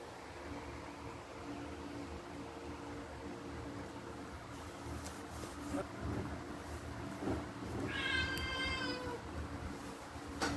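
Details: Pet cats fighting as they wait for their breakfast: after quiet indoor hum and faint thumps, a single drawn-out, rich harmonic meow near the end, lasting about a second and wavering slightly in pitch.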